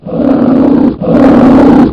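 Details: Polar bear roar: two long, rough, low growling roars of about a second each, the second following a short gap, with no other sounds.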